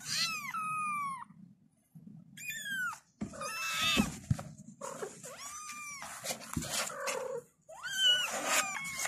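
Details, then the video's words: Several kittens meow for their mother in bursts of arched, harmonic mews with short gaps between, some calls overlapping, alongside thumps and a low rumbling hum. "The kittens meowed and called their mother"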